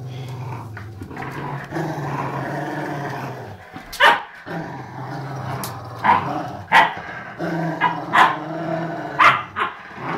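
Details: Two 11-year-old Rottweilers playing sweetly give a low rumbling growl, then sharp, irregular barks every second or two.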